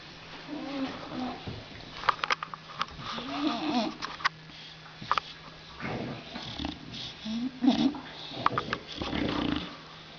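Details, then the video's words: A sleeping female bulldog snoring: rough, wheezy breaths rising and falling in irregular bursts roughly every two seconds, with a few sharp clicks and faint background murmur. "snoring bulldog"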